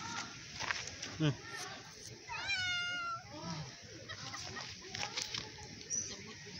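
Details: Loud meowing from a hungry stray cat begging for food: one clear wavering meow in the middle, with scattered voices and clatter around it in a noisy setting.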